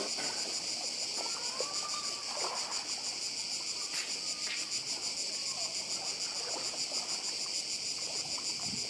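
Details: Constant high buzzing of cicadas on Badija island, Croatia, close to the sea, pulsing rapidly and evenly; brief faint whistles and a couple of sharp clicks sound in the first half.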